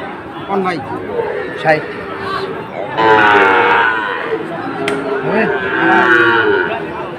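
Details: Sahiwal bull calves at Ambari market, Sylhet, 2 October: scattered chatter and clatter at first, then sustained overlapping moos in the second half over a continuing crowd murmur.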